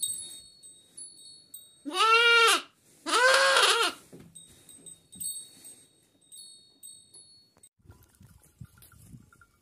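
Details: Kangal sheep lambs in Kayseri, Turkey, starting to eat feed: two loud, harmonic bleats, each about half a second with a wavering arched pitch, back to back, then quieter rustling and soft bell tinkles.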